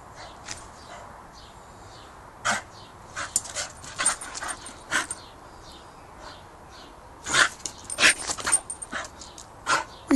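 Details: A Staffordshire Bull Terrier having a mad few excited minutes gives sharp, irregular barks and yelps in excited bursts.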